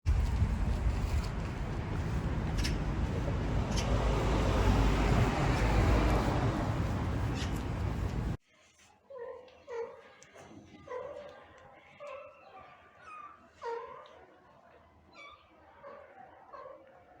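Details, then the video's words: Sick mother cat reunited with her kittens after an operation, hugging and making cute sounds; a loud rushing noise fills the first half, then a run of short, harmonic meows and chirps, several per second. "Sick mother cat reunited with her kittens after operation. Hugging and making cute sounds."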